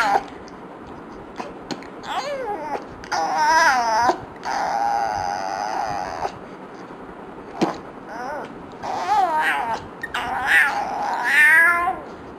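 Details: Yumi the dog complains at fart sounds with repeated warbling, yodelling whines that rise and fall. A long sustained moan runs in the middle, and sharp clicks punctuate the pauses.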